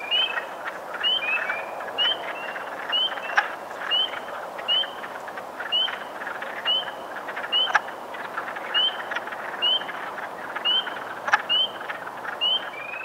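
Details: Wood frogs gathered in large numbers at a pond in Park Pointe-aux-Prairies, Montreal, on 15 April 2022, giving mating and display calls: a dense, steady clucking chorus, overlaid by spring peepers' sharp rising peeps repeated roughly every second.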